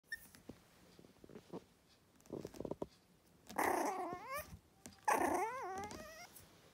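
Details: Yorkshire Terrier puppy indoors: soft scattered noises, then two rough growl-like bursts, each sliding into a wavering, rising whine.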